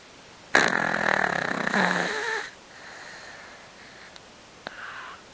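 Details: An old Yorkshire Terrier, a pet house dog with a slightly blocked nose, snoring while asleep indoors: one loud, long rasping snore lasting about two seconds, followed by quieter, softer snuffling breaths.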